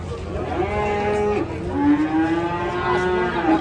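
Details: Cow lowing after slipping and breaking a leg: a long, steady harmonic moo that dips and then holds level, with faint voices behind.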